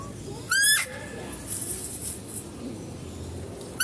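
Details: At a zoo, a female deer gives a short, shrill, squealing call while a male deer is being fed, with another call starting as the clip ends.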